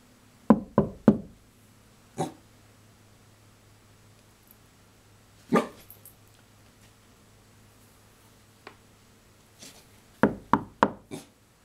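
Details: Dog reacting to knocking indoors; sharp, clipped sounds come in a quick burst of three, then single ones spaced a few seconds apart, a faint one later, and a closing burst of four, over a quiet room hum.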